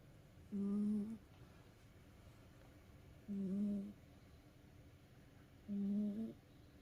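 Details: Tired house cat snoring after playtime: three even, buzzy, hum-like breaths, each about half a second long and spaced about two and a half seconds apart, in a quiet room.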